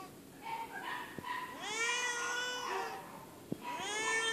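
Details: A feral female cat living at an animal shelter meows and hisses loudly: short softer calls, then long, rising-then-falling wails rich in harmonics, and a second strained meow after a pause, with faint clicks between.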